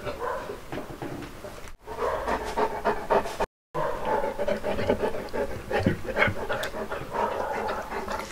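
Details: Uno, a one-year-old Saint Bernard, at his first birthday, panting in rapid breathy bursts over about eight seconds, broken by two brief silent cuts, with faint voices in the background.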